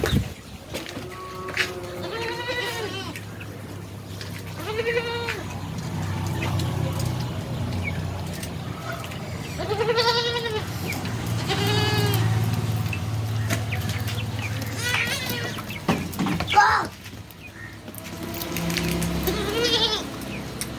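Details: Beetal goats on a farm in Roorkee, bleating repeatedly in short quavering, nasal calls, several overlapping, above a constant low rumble and occasional voices.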